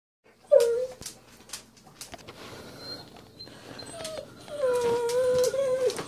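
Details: Great Dane dog indoors whining because she wants her owner to play outside with her; a short high whine near the start, then a longer drawn-out tonal whine wavering steadily, with light household knocks.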